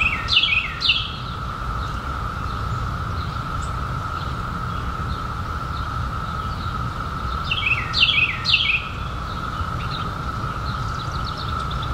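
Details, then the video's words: A steady single-pitched cicada drone comes from the 2021 periodical cicada brood, emerged after 17 years. Paired bird chirps sweeping downward appear at the opening and again near the eighth second. "SOUND OF CICADAS 2021"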